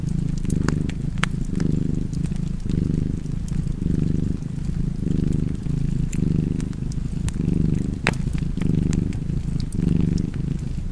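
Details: Cat purring steadily near a fire, the low buzzing rumble pulsing in regular breaths about a second apart over eleven seconds, while wood crackles and pops sparkle above it.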